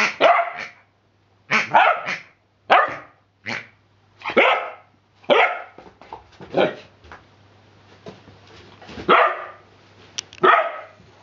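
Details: Hubby, a 10-week-old Rhodesian Ridgeback puppy, playing with a new rubber pig toy indoors; a run of sharp, uneven barks and yelps, some clustered, some spaced, with short pauses between bursts.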